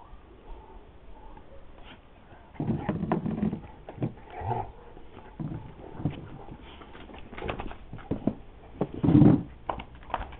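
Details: Two Dogo Argentinos, Fuerca and Pampa, at play: low, rough bursts of barking and growling come in clusters, loudest around the middle and near the end, with a man's voice talking between them.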